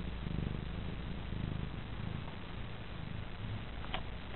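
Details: Female house cat Petaline dozing happily on a lap, giving a soft, low, continuous purr with gentle rhythmic pulsing as she breathes; a brief click near the end against quiet room noise.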